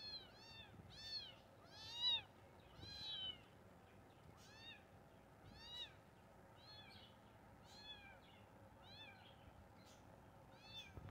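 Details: Kittens mewing rapidly, about one high, arched mew per second, louder early on and fading to softer, evenly spaced cries.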